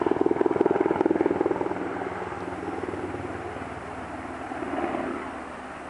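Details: A rapid, regular mechanical throbbing like an aircraft or helicopter engine fills the recording and slowly fades, with no animal sound audible.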